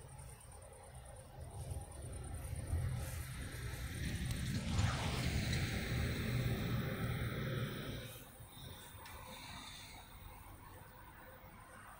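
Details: Low rumbling noise swells through the middle and eases off after eight seconds, with faint hiss above and no animal call.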